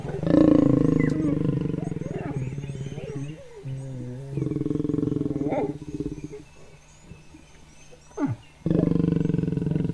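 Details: Wild lion pair mating continuously, the lioness retaliating when the male's love bite is too hard after he chased off his brother: loud deep rasping growls and snarls in bursts, a quieter gap midway, then another growling outburst.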